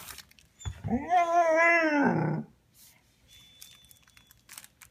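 A Vizsla gives one drawn-out, wavering whine of frustration, wanting its toy.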